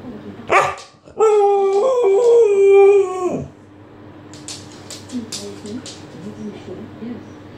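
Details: Alaskan Malamute named Makita, a female, calling indoors to wake her owner; a sharp yelp, then a long steady harmonic howl of about two seconds that slides slightly down, followed by low murmuring and light rustling.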